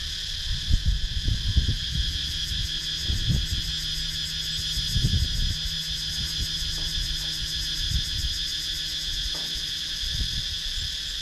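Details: Thai countryside cicadas, Sakon Nakhon woodland, GoPro Hero 9: an endless high electric buzzing chorus pulsing steadily above repeated soft low thuds and rustles throughout.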